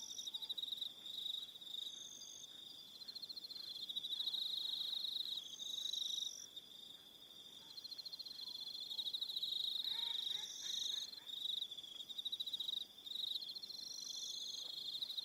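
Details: Evening crickets at Aroha Island, New Zealand, keep up a dense high pulsed trill across the whole stretch, with extra higher trilling voices joining intermittently and short pauses near seven and thirteen seconds.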